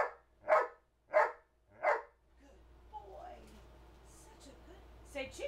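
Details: A trained two-year-old male Old English Sheepdog counting aloud: three loud, clipped barks roughly 0.7 seconds apart, then quieter human speech with the handler's commands in a small room.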